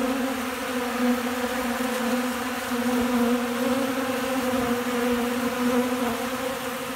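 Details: Hungry honey bees feeding eagerly from a hand in windy Central Alabama ahead of rain and storms. A loud, even buzzing drone holds a steady low pitch with bright overtones, gently pulsing in volume.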